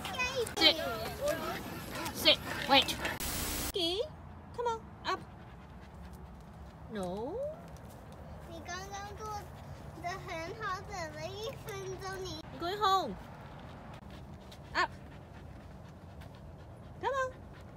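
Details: Samoyed puppy named Whiskey, reluctant to go home, gives a string of high, bending whines and whimpers that rise and fall in short bursts with pauses between, after a person's voice giving commands at the start.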